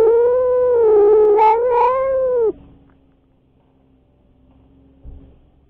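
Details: Cats squaring off, a resident tom keeping intruding stray cats away. One long, warbling yowl that wavers and rises briefly, then drops off sharply, followed by near silence and a faint knock.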